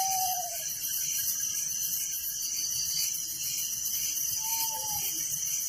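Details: Village crickets at night give a steady high, buzzy chorus with regular pulsed trills; two short whistled tones, one at the start and one near the end, stand out faintly below.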